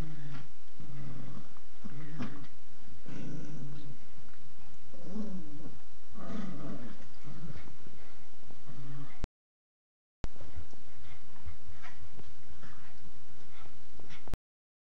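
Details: Poodle growling indoors: low, rumbling growls in short repeated bursts through the first nine seconds, a brief silence, then softer rumbling with faint whimpers.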